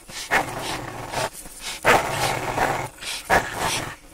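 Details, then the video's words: Rough play between a four-year-old Staffordshire Bull Terrier and a five-month-old American Staffordshire Terrier brings three harsh, grumbling growl bursts, each rising abruptly and fading within about a second. "Staffy vs Amstaff"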